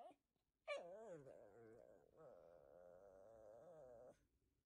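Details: Shih Tzu puppy giving a drawn-out, wavering whine, opening with a sharp yelp-like rise, then a long vibrating tone held about three seconds indoors before stopping abruptly.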